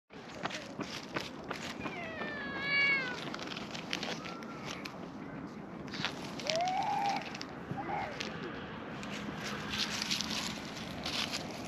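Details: A black-and-white, cow-patterned cat chases off a brown-tabby-and-white cat to keep a person to itself. A quiet, harmonic-rich meow sounds near the start, and a shorter rising-then-falling mew follows a few seconds later, over faint outdoor background noise.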